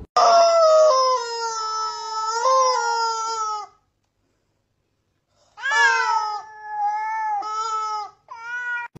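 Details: Domestic cat giving long, loud, drawn-out meows with strong harmonics and wavering pitch, one sustained cry of nearly four seconds, a short silence, then further wailing meows.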